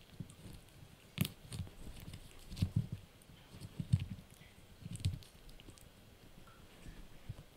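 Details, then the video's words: Blue, a Yorkshire Terrier puppy, crunches on a dried bunny ear indoors; soft irregular low crunches and bites about once a second, with sharper clicks between, in a quiet small room. "Yorkie Puppy Eating Dried Bunny Ear 🐾 | Funny Faces & Crunchy Sounds!"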